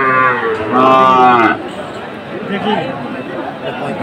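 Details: Sahiwal cattle at a Chattogram market in Bangladesh, where a farmer buys a bull on 7 September 2024: a strong harmonic moo rising then breaking off after about 1.5 seconds, then crowd murmur and distant voices.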